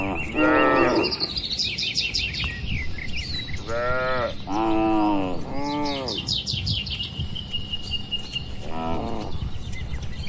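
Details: Cattle crowded in a farm pen moo in separate bouts, two close together in the middle and single calls near the start and end, while birds chatter and chirp throughout.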